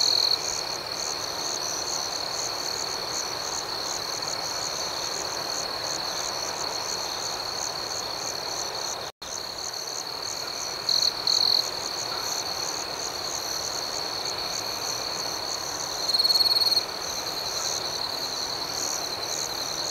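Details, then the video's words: Outdoor night ambience of crickets: an unbroken shrill trill with regular high pulsing, a brief silent gap midway, and a few short louder chirp bursts later on. "Soothing Cricket Sounds"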